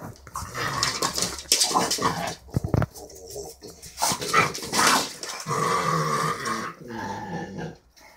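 Two French Bulldogs play together with a run of rough, throaty growls, snorts and grunts that come in uneven bursts. Short whimpering squeaks break in between the louder rasping growls.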